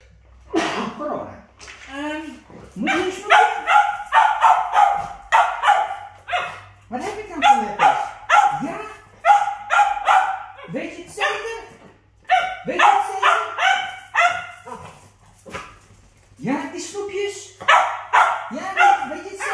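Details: Two Cavalier King Charles Spaniels eating treats give bursts of high whines and yips, with a human voice mixed in.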